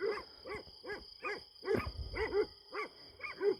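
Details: Night-hunting Kangal dogs at a farm, distant and gripping something in the dark: steady, hoarse barks roughly every half second, each a rounded, harmonic-rich yelp, with a low rumble behind.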